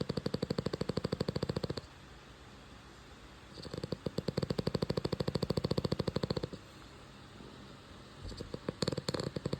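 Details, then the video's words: Loud, rapid-fire rattling snores from a French Bulldog puppy named Rudy as he sleeps, coming in two long bursts of dense pulses, then a short quiet gap and a brief stuttering snore at the end. "puppy Rudy’s first snoring video snoring"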